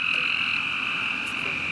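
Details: A tree frog, just caught and held in hand at a drainage pond near home on a rainy night, gives a steady, high, ringing call holding one pitch without a break.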